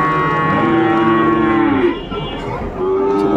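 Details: Sahiwal bull calf at Dinajpur's Ambari market on 11 March 2024, start of Ramadan; a sustained, even moo holds for over a second, breaks off, then a second flat moo starts near the end over market hubbub.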